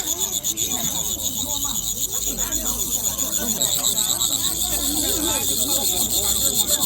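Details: Crickets sold at a busy weekend market in Jinan, Shandong Province, kept by buyers to listen to their sound; a steady high shimmering trill pulses continuously above the chatter and bustle of the crowd.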